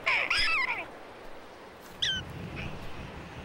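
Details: A prairie dog gives a wavering, rising-and-falling, dog-like yapping alarm yip rich in overtones, warning others of danger as a red-tailed hawk appears, followed by a shorter, fainter yip about two seconds later.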